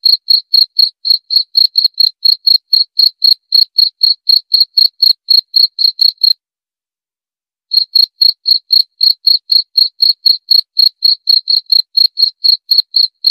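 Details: A cricket gives a run of rapid, evenly spaced high chirps, about four per second. The chirping breaks off into dead silence for over a second, then resumes at the same pace. There is no background noise.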